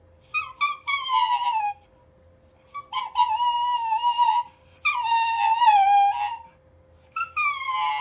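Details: Schnauzer vocalizing strangely at a switched-on humidifier in a room: long, wavering, howl-like whines that slide downward, in three extended bursts with brief yips, accompanied by a low steady mechanical hum.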